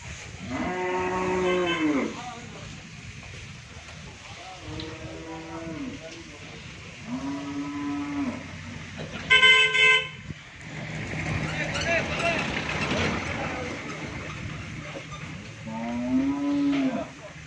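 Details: Friesian cow, a second-calver with a heifer calf, at a dairy farm in Bhangura, Pabna, Bangladesh; four drawn-out harmonic moos of about a second or two each, one rising and falling, with a brief horn-like toot near the middle and background hum.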